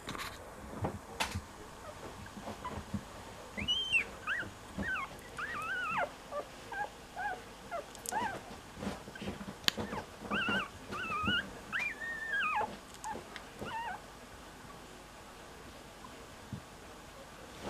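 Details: Cocker Spaniel puppy looking for its siblings; repeated high, thin whimpers and squeaky whines in short bursts, with scattered clicks and handling noises indoors.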